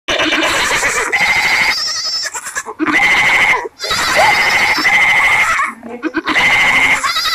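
A young goat bleats repeatedly in loud, quavering, high-pitched cries.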